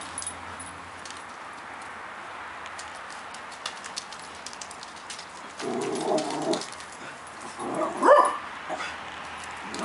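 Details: Havanese, Cockapoo and Shih-poo puppies playing together: soft rustling and light scratching, a low murmuring stretch midway, then a short high-pitched yip with a faint whine near the end.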